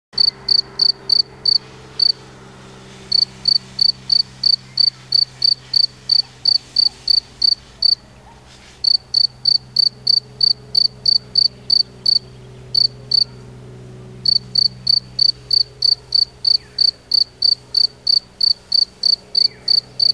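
A field cricket chirps in bright, regular pulses, pausing briefly between runs.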